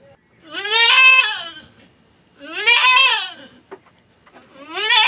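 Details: Young backyard goat having difficulty during her first delivery, crying out in loud, wavering, harmonic bleats, three calls roughly two seconds apart, over a faint steady high tone.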